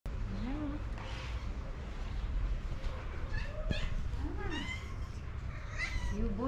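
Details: Orange female cat talking to her owner with her own distinctive meow, affectionate. Several short arched meows, rising then falling, spread across the recording, with a person's soft voice and low background hum.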